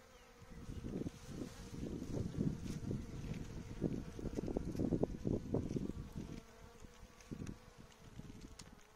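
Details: Honey bees in an apiary where coffee with caffeine is given to the bees; loud, low droning buzz in pulsing bursts as bees pass close, swelling in the middle then fading, over a steady hum.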